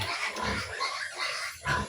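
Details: A sow gives short, harsh, noisy grunts in several close bursts, the last one loudest, over a steady background hiss.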